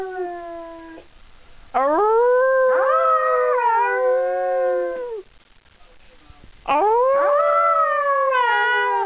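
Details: Siberian husky Jökull howling in three drawn-out phrases separated by short pauses, each rising sharply at the start then holding and gently falling, with rich harmonic overtones.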